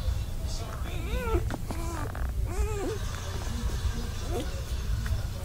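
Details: Black Labrador Retriever puppies, two days old, nursing on their mother Penny among a litter of ten indoors; short squeaky arched squeals and whimpers come every second or so over a steady low rumble and faint background voice.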